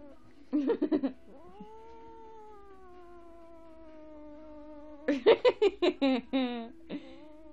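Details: House sphynx cat's weird vocalising: rapid stuttering chirps, then a sustained wailing yowl sliding gently downward for about four seconds, and another burst of quick chattering chirps afterward.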